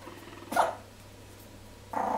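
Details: Jack Russell Terrier puppies, three weeks old, from one litter playing by mouthing each other; two brief squeaky grunting cries with a quiet gap between, against a low electrical hum.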